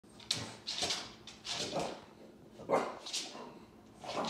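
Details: A French bulldog gives short, breathy grunts and yips in quick bursts while playing with a mini Aussie.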